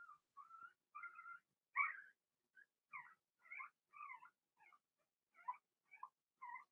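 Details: Indoor pen holding a litter of six Blenheim Cavalier King Charles Spaniel puppies, Remy's first, born in March; a steady run of about a dozen short, high, squealing whines, some rising and falling, with brief quiet gaps.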